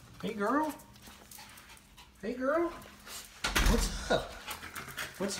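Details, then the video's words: Female Siberian Husky puppy left home alone for about 30 minutes, recorded by a GoPro attached to her: two short rising, wavering whines a couple of seconds apart, followed by rustling and bumping. "GoPro Spying On My Husky Puppy To See What She Will Do When I Leave Her Home Alone"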